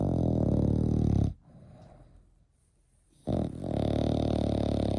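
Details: Snoring French Bulldog puppy, eight months old. A steady, coarse, rumbling snore opens the clip, drops to a faint wheezy breath and a quiet gap, then another long, loud, buzzing snore returns.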